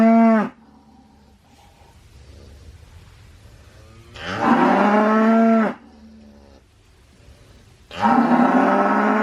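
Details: Cattle lowing in three bouts: a moo ending at the start, a long, loud full-throated moo mid-way, and another starting near the end, with quiet gaps of low rumble between them.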